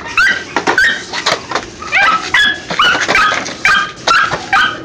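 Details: Pinscher puppies being tested give a rapid series of high, whining yelps, each a short rising-then-falling cry with bright overtones, tumbling out about twice a second with brief gaps between bursts.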